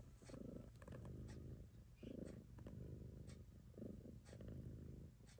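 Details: Purring of the domestic cat Choo-Choo Kitty during nursing of her kittens: a rough low drone rising and falling in breath-length pulses, with light clicks overhead.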